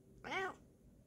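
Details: Female Bengal cat indoors in a small room, yawning and showing off her paws as her owner greets her: one clear, rising-then-falling meow about a third of a second long, with quiet room tone.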